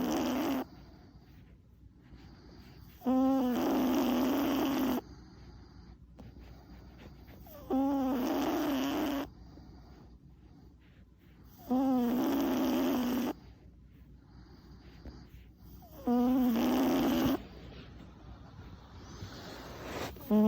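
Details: Tuna, a male Chihuahua aged four, deeply asleep after an unusually long one-hour walk, snores in a slow regular rhythm: a squeaky, rising, nasal rasp roughly every four to five seconds, with quiet breathing in between, in a small room.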